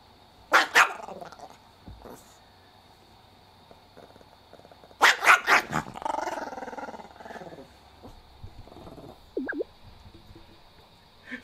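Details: Chihuahua Kohaku in a rage over its owner's snake-fist imitation: an opening pair of sharp barks, then a burst of several rapid barks sliding into a rumbling growl, and later a brief high whine-like tone.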